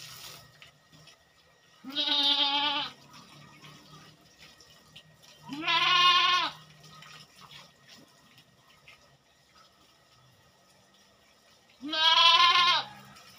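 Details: Goat on a farm, kept by a goat farmer during routine fortnightly work: three loud, wavering bleats, each about a second long, with gaps of several seconds between them and faint background noises.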